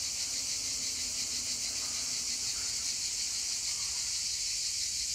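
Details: On a hillside, cicadas fill the landscape with a dense, steady, high-pitched buzzing drone that carries a faint rapid pulsing.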